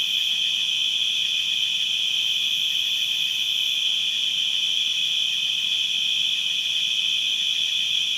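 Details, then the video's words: Constant distant cricket chirping forms an unbroken high-pitched trill, steady in loudness throughout, with a faint upper overtone band and nothing else clearly heard. "Crickets distant and constant chirping sound effects"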